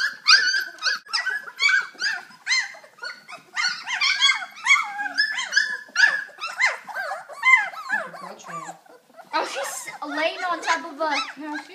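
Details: A kennel litter of puppies playing together and running after a child indoors, October 2012; dense bursts of high yelping and whining repeat rapidly, with occasional human voices.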